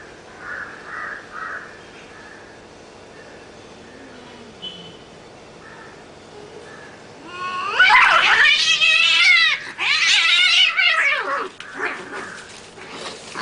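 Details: Cat fight that turns violent: quiet low murmurs at first, then a sudden burst of harsh, raspy screeching and hissing from about eight seconds on, with brief pauses.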